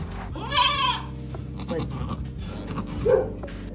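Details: Farm goat that has just had her kids, stressed with people around, giving a short wavering bleat followed by a brief higher cry, with people talking and music in the background.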